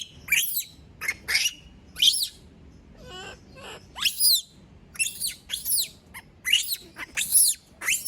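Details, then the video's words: Female monkey shrieking after being left alone by everyone, with bursts of harsh, very high, down-slurred screams, sometimes doubled, and a brief lower wavering cry in the middle, over soft background hum. "Sound of monkey berlin scream when all leave her alone, monyet berlin berteriKmak sendirian"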